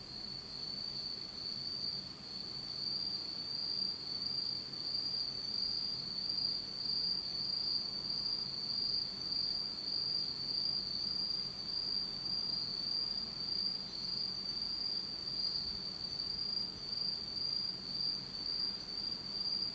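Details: Insect song on a dark autumn night in Japan: a loud, bright, high-pitched trill rings steadily with a gentle pulsing throb, with almost nothing else audible beneath it.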